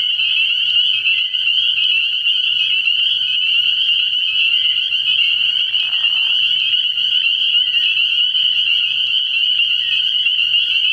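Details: Early-year night chorus of spring peepers at a frog pond: a steady, high, bell-like shrilling from many frogs at once, individual peeps lost in the overlapping mass of sound.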